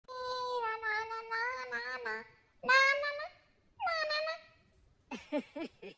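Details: A Beagle puppy reacts to its owner's singing with a drawn-out, quavering howl that wobbles in pitch, then two shorter swooping howls, ending in a burst of rapid, high yips.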